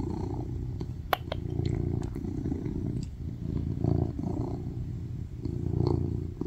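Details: Tuxedo cat, a male attention-seeker, purring loudly while cuddling on a lap: a steady low rumbling drone that swells and eases in waves, with a few sharp clicks and rustles on top.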